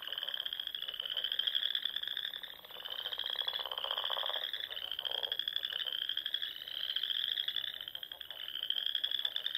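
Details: Frogs calling at dusk in spring among ponds and small lakes of the Nebraska Sandhills; a dense chorus of overlapping pulsed trills, each rising slightly in pitch, swelling and fading in waves every couple of seconds.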